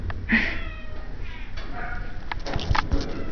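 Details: Playful cat at an animal shelter in Idaho Falls makes a short, sharp meow indoors amid handling noises and rustling.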